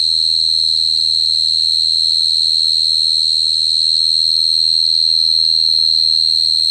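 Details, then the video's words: Cricket singing a steady, high-pitched, unbroken trill that holds one even pitch for the whole stretch, with a fainter higher overtone above it and a soft low hum underneath. "Cricket sound effect(cricket sound)"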